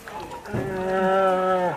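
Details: Rescued bear cubs at the Veles quarantine centre; the keeper says they look identical and one is a fierce fighter. A cub gives a drawn-out, nasal bawl that holds steady, then drops away at the end.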